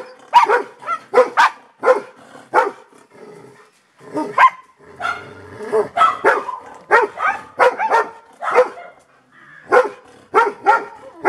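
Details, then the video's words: Golden Retriever barking: clusters of two or three punchy barks, a brief lull with a soft low whine near the middle, then more steady barking to the end, about twenty barks in total. "Sound of Golden Retriever Barking."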